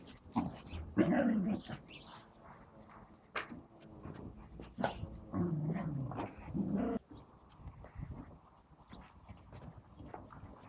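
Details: Pet dogs playing with a balloon, filmed in 2017. Throaty growling whines come in bursts, a strong one near the first second and a longer run late on, with sharp thumps and clicks from the play in between.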